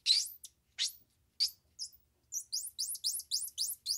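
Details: Squirrel monkey voice: a few rising squeaky chirps spaced apart, then a rapid run of about a dozen high, thin upward-slurred peeps in close succession.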